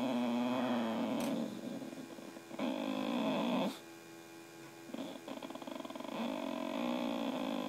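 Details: Missy, a pet Boxer, grumbles at her owner in an indoor argument: throaty moaning growls rising and falling in several bursts separated by short pauses, over a constant low hum.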